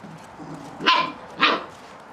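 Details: Catalan Sheepdog puppies playing; two sharp, bright barks about half a second apart stand out over a soft background hum.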